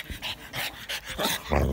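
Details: A pug makes snorting, huffing noises in short repeated bursts while play fighting with a boxer dog.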